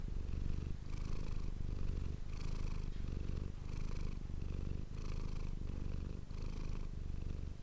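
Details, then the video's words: Purring domestic cat named Manis, captured close up with an ASMR microphone; a dense low throb broken by short pauses roughly every one and a half seconds as the cat breathes in and out. "ASMR cat purring ❤ Manis die aan het spinnen is"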